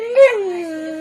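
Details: Pet dog 'talking' to its owners: one sustained tonal howl with rich harmonics, briefly louder and rising early, then gliding gently downward and holding steady to the end; no other sounds.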